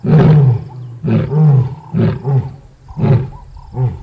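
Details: Lioness roaring: deep, loud, low-pitched grunting roars in a series of about five bursts, each under a second long, spaced roughly a second apart and tapering toward the end, with no other clear sounds.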